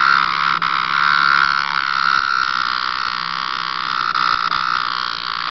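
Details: A cicada encountered by a pet cat gives a loud, continuous, harsh buzzing drone. It holds steady through the whole stretch with only a few brief dips, and no other sounds are clear.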